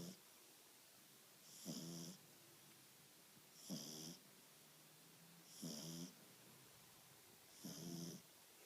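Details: Snoring from Dexter, a French Bulldog puppy two months old: four evenly spaced raspy breaths, each a brief buzzy snort about two seconds apart, with soft hiss between them indoors.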